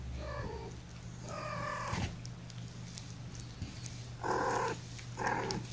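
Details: Young domestic kittens lying in a lap indoors, from a litter of five born April 14th to their mother Gamora. Short, high, harmonic mews come in four bursts, two early and two near the end, over a steady low electrical hum.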